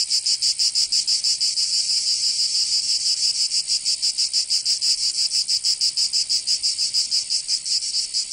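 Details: Summer chorus of cicadas in Provence, in the south of France, a continuous shrill buzz throbbing in quick regular pulses, roughly three per second, slightly uneven in places, nothing else audible.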